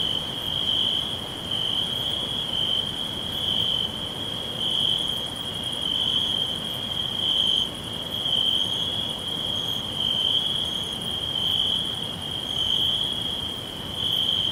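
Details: Crickets all around in a green forest: a loud, high trill that swells and fades in regular waves about every second, and fainter insect pulses above.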